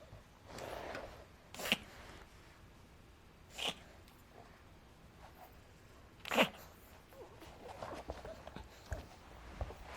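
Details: Indoors on the afternoon of 9 May 2012, young female pug Adina, five months old, reverse sneezes after running like crazy; three sharp harsh snorts spaced about two seconds apart, then softer snuffling breaths.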